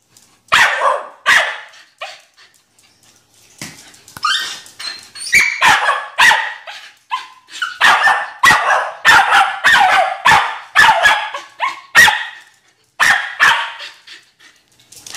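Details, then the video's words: Excited Scottish Terrier barking in rapid, sharp bursts, many barks in quick series with short pauses between runs, some higher yelping notes mixed in. "Excited Scottish terrier"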